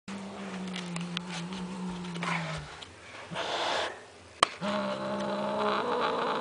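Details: Angry domestic cat indoors giving a long, low, steady droning growl for about two and a half seconds, a pause with rustling and a sharp knock, then a second sustained low growl that continues to the end.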